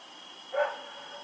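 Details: One brief mid-pitched bark from a dog running around at night in Pyrga, October 7, 2018, against a thin continuous high hum.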